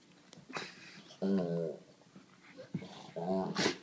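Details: A white Labrador named Sadie, seven years old, grumbles and whines indoors while begging a pug to play; two short moaning vocal bursts with breathy sounds between, and a voice faintly present.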